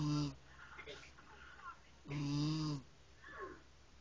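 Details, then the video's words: Domestic cat snoring: two loud, low, droning snores about two seconds apart, each a buzzy rasp lasting under a second, with softer wheezy breaths in between and a quiet indoor background. "snoring cat"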